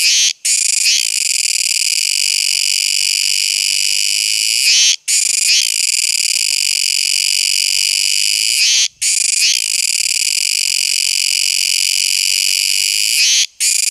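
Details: Continuous piercing buzz of a Kuroiwa tsukutsuku cicada, repeated in phrases of about four seconds separated by four brief silent drops, each restart marked by a short stuttering flutter.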